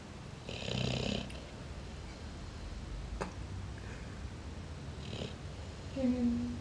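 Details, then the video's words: Neapolitan Mastiff snoring: a rough, rasping low snore near the start, a shorter hiss around five seconds in, then a nasal whistling tone at the end, with a sharp click in between. "Napolitan Mastif snoring"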